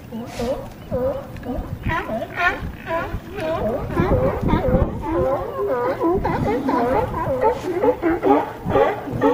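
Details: California sea lions on a harbor dock at Crescent City, California, bark in a rough, overlapping chorus of repeated honking calls.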